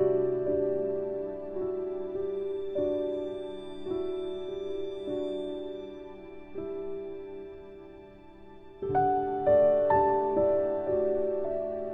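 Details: Soft, slow piano music plays throughout, with no animal sounds.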